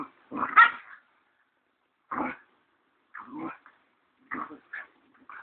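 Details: Pair of Siberian Husky pups, roughly ten weeks old, playfighting at a Kaitaia, New Zealand kennel on 1 September 2011; brief separated growls and yelps come in short bursts with quiet gaps between.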